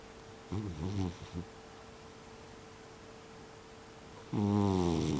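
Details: A mixed-breed brown tabby house cat of unknown age, one of a six-cat household, snores loudly indoors in December 2021. Short rhythmic snorts come first, then quiet, then a strong, sustained, deep droning snore near the end.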